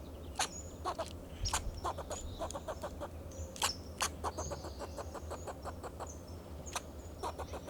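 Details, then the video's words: In Del Monte Forest, California, a fox squirrel on a Monterey pine sounds alarm to guard itself and its territory, repeating clipped, clucking barks in uneven bursts, some louder accents, over a low hum and faint high bird chirps. "Sound of a Fox Squirrel"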